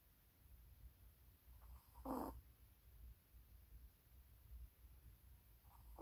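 A Maltese dog snores in its sleep, mostly quiet, with one louder raspy snore and fainter breaths a few seconds apart. A low steady rumble sits underneath throughout.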